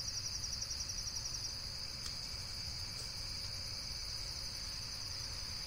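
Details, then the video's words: Insects produce a shrill, rapidly pulsed continuous trill, with a couple of faint clicks and a low, rough background noise. "Relaxation Video with Various Nature & Insects Sounds"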